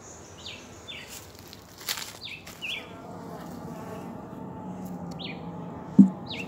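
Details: Wild honey bees in a homemade box in Jamaica make a soft, continuous low drone of many wings; short, high, downward-slurred bird chirps break in every second or so, and a sharp tap sounds near the end.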